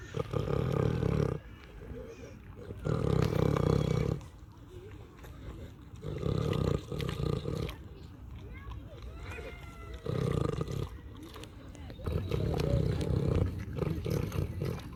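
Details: Pig on a farm snoring: deep, rough, low breathy bursts about a second or more long, recurring every three to four seconds, with quieter rasping and faint higher squeaky tones between them.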